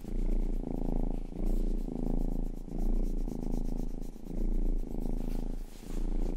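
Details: Pet cat Rangi, the household's youngest, purring close to the microphone indoors: a deep, throbbing rumble that rises and fades in regular bursts of about a second, each breath clearly separated by short quiet gaps.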